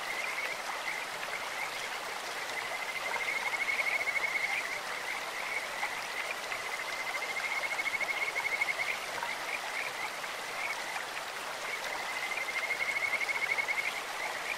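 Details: Three separate swelling phrases of high, fluty trilling from Kajika frogs in a clear stream, each lasting about two seconds and spaced roughly four seconds apart, with softer chirps between and steady water noise throughout.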